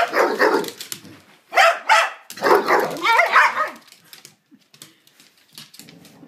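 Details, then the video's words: Two dogs, Psyche and Harvey, in a strange mood, making odd noises at each other while playing: bursts of barking yips and grumbling vocalizations, some with wavering whine-like tones, then fading to quiet rustling. "Psyche and Harvey make strange noises at each other"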